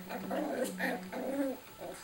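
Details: Two Cairn Terrier littermates playing, one growling at his brother: short grumbling growls in about four bursts over two seconds, each rough and wavering, with a steady low hum beneath.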